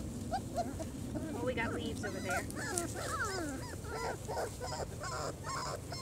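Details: Four-week-old German Shorthaired Pointer puppies exploring outdoors for the first time: a busy jumble of overlapping squeaky, wavering whimpers from several pups, nearly continuous, with soft human voices in the background.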